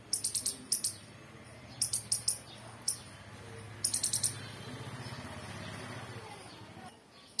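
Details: Rapid, shrill squirrel chirps come in clustered bursts of three to five clicks early on. A low steady hum fills the middle, and one final chirp sounds at the end.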